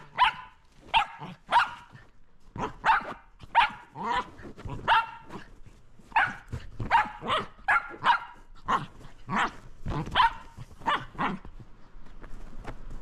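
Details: Shetland Sheepdog named Roco playing with a lint roller, barking loudly in sharp, clipped barks that come in quick pairs and singles, about fifteen in all, with short gaps between bursts and faint room noise behind.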